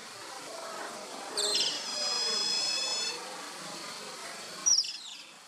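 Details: Asian small-clawed otter pups at play giving a high, thin whistled call with stacked tonal bands that holds steady for almost two seconds, then one short sharp squeak near the end over a faint hiss.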